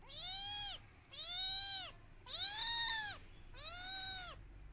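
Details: Kittens crying loudly while searching for their mother: four long, loud, harmonic-rich meows in close succession, each rising then falling, about one per second, the third the strongest, over a quiet background.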